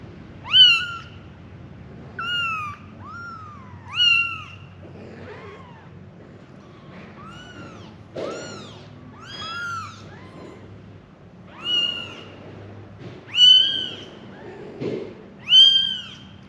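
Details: Kittens, five in a litter, calling their mother; a run of high, thin mews, some arching up and down, others bending upward, coming roughly every second or two with short gaps.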